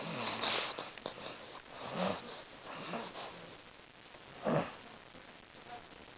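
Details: Pet dog named Lady snoring while asleep indoors: breathy, rasping snores rising and fading in broad bursts near two and four and a half seconds, with quieter wheezy breaths between.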